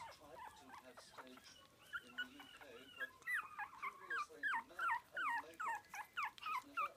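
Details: Biewer terrier pup, four weeks old, eating meat for the first time: soft murmurs at first, then loud, sharp, falling squeaks repeated about three times a second in an eager, uneven rhythm.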